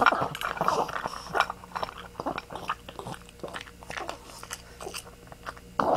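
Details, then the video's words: Zoey, a pet dog, makes a run of short snuffling grunts and huffs, clustered and irregular, loud at first then quieter, with a faint steady hum underneath. "Zoey's Grunting"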